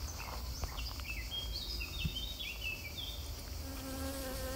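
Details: A honey bee pollinating flowers gives a steady, low droning buzz that rises near the end, over small birds chirping in the background.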